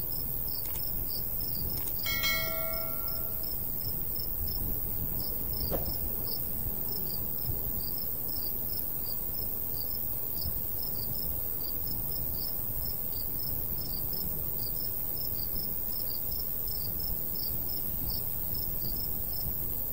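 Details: Summer countryside crickets by a golden wheat field in a light breeze, giving quick regular high chirps throughout; early on a brief bell-like chime rings out, with soft wind noise underneath.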